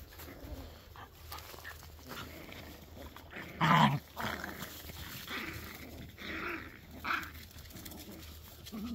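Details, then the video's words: Jack Russell Terrier puppies on 18 March 2024: a sharp, loud bark-like burst near the middle, then scattered softer yips and growly noises amid rustling and household background sound. "Jack Russell puppies"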